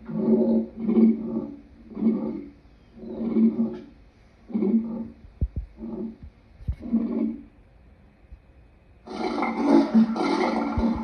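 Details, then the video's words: Lion producing a sequence of short, deep grunts spaced roughly a second apart that gradually weaken, followed by a louder, harsher burst of sound near the end. "Lion sounds"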